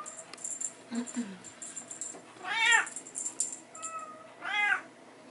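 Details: Bengal kittens playing in a hallway with their mother and a teaser toy; two clear rising-falling meows with stacked harmonics, plus faint higher chirps, clicking and rustling of play.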